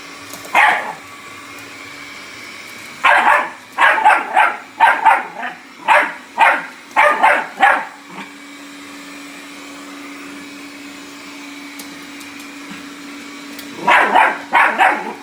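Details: Bull Terrier puppy attacking a robot vacuum cleaner: one sharp bark, then a rapid run of about ten yappy barks, a pause, and a final cluster, all over the steady whirring hum of the vacuum.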